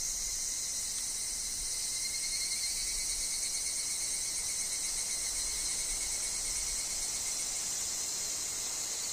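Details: Evening cicadas (higurashi) chorusing in a forest, a continuous bright, hissing high drone that barely changes in loudness, over a faint lower steady whine.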